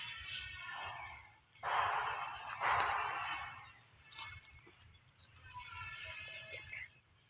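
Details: Baby monkey screaming in fright after hearing people cough: two loud, harsh, broadband harmonic bursts about a second apart, with softer calls before and after, over steady high insect buzzing.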